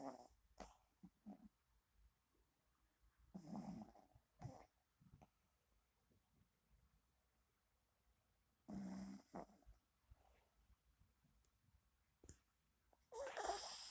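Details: Sleeping dog snoring quietly indoors: rough, breathy snores come in irregular bursts a few seconds apart, separated by near silence, with a louder rustling noise at the end.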